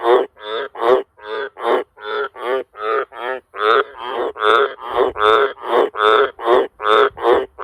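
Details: Wild Australian green tree frog calling very loudly around a farm house and sheds at night: a steady run of about nineteen harsh, rasping croaks, roughly two to three per second, each short, buzzy and rich in overtones.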